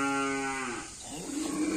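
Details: A karapan sapi racing bull, newly transferred between racing teams, in its pen: a steady harmonic moo held level for almost a second before fading, then rougher lower sounds mixed with nearby human voices.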